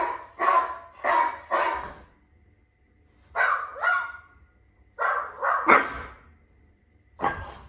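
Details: Two French Bulldogs vocalizing in reaction to strange sounds played to them: short rising and falling yelping howls in quick bursts of three, then pairs, separated by brief silences, with a faint steady hum underneath.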